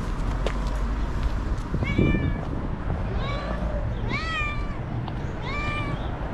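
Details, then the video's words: Angry white cat lashing out, giving four drawn-out harmonic yowls, each bending upward then levelling off, spaced roughly a second apart over a steady low background rumble. "Psycho Cat That Screams and Hits: Angry White Cat"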